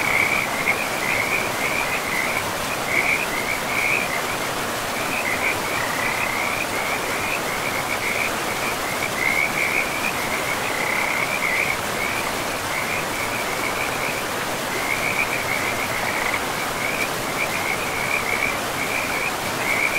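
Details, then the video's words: A forest river chorus of frogs: rapid, high-pitched chirps strung together in bursts with brief gaps, all at a similar pitch, set against loud, steady river rush. "River and Frogs sleep sounds"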